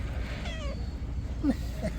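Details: Stray cat being fed in the morning gives two short meows, the first sliding downward, the second brief and bright, while a person calls "kitty" nearby over a constant low rumble.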